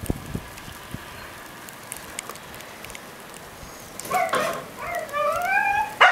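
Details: Siberian Husky Mica, the younger 'baby sister', protests at being kept in during Blizzard Nemo, Belmont, MA, 9 February 2013 morning; after a quiet stretch, a burst of rising, wavering howl-like screams near the end.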